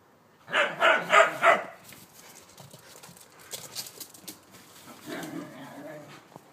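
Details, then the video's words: One of two whippets playing chase in a garden gives a quick run of four sharp barks, then softer rustling and scuffling, with a fainter bark-like burst near the end. "Whippet chase"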